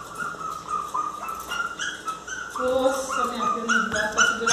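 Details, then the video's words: Miniature Pinscher dog crying loudly, wanting to come into the house: a run of high, wavering whines and yelps that rise and fall, with a person's voice talking to it in Portuguese. "Cachorro pinscher miniatura chorando alto querendo entrar em casa"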